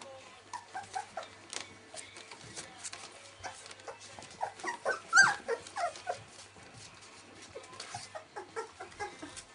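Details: Young Welsh Springer Spaniel puppies, 19 days old, squeaking and whimpering in quick, irregular bursts of short high cries, with several louder yelps clustered midway.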